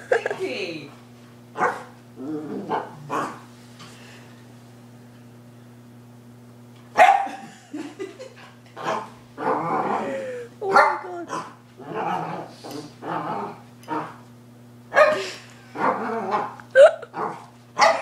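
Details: Pet dog after a walk outside making pig-like snorting and grunting noises in irregular bursts, some with short whiny rising tones, over a steady low electrical hum.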